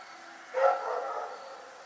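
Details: A single night-time bark from Rex the dog: one abrupt, harsh bark that fades into a longer rough tail against a quiet background.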